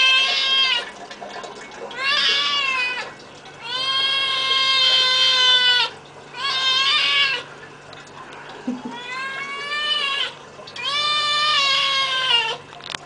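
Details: Loud domestic cat meowing repeatedly: five drawn-out, strained cries of about one to two seconds each, separated by short pauses, harmonics strong and slightly wavering.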